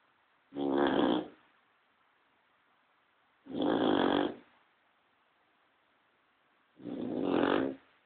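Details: Sleeping Cocker Spaniel snoring indoors while a second dog sleeps quietly nearby: three harsh, rasping breaths, each lasting under a second, spaced about three seconds apart, with near silence between them.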